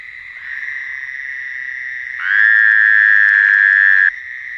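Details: At night, a frog gives a long, steady, high-pitched trill that swells louder partway through before easing back; it is unclear whether it is crying or singing.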